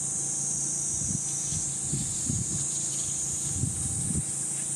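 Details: Shrill cicada buzzing on a 37°C July morning in Gifu Prefecture Hyakunen Park, Japan, 23 July 2026, recorded while walking the path; the high, steady drone sits over repeated crunching footsteps on the trail.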